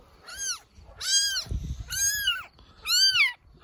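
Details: Rescued abandoned baby kittens found meowing helplessly in the grass beside an animal shelter on a rainy day: four loud, clear, arching meows spaced roughly a second apart, with soft low rumbling between them and a woman speaking gently nearby.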